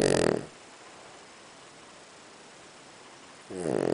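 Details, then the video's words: Sleeping Boston Terrier pet snoring soundly: a rough buzzy snore fades at the start, then after three quiet seconds another harsh rattling breath begins. "Snoring Beauty イビキ犬"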